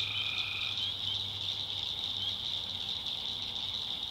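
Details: Tree frogs calling at night in a North Carolina backwoods swamp: a dense, steady high-pitched chorus, with a lower drawn-out trill in the first second.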